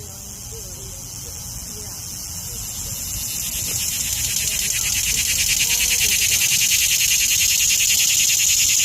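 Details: Cicada calling in summer: a loud, high-pitched buzzing drone with a fast regular pulse, growing steadily louder across nine seconds until it fills the upper range.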